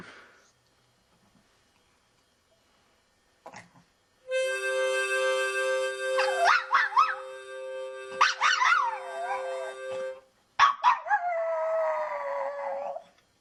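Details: Indoor female dog reacting to a harmonica, which plays sustained chords while she answers with wavering howls. Pitch jumps up and slides down in bursts, ending with a long, falling howl over the final chord.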